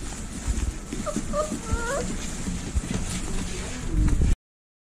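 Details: Rottweiler puppies from a litter of 14 (10 males, 4 females), born December 19, 2020 in San Diego, give thin, high whimpers that rise and fall in short, wavering whines.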